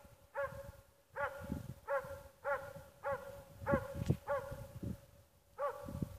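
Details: Dog called Ackers Åndorra, known as Schampoo, amusing herself: short high yelping barks with rich harmonics, each slightly arched, given roughly every second, with soft low thuds and rustling between them.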